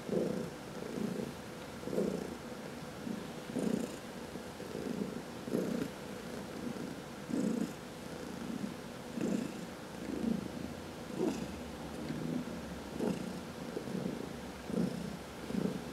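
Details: Domestic cats purring during a massage indoors, one of four pet cats including senior adoptees Heidi and Dinah from the Humane Society of New York City; steady low rumbling purr pulsing in rhythmic breaths roughly every second, with soft rustling above.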